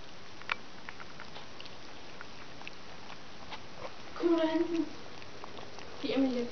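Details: Collie puppies of the E litter, 30 January 2013, getting their first real food indoors: two short, tonal whimpers with stacked overtones near the end, each about half a second, over quiet room noise and soft patter.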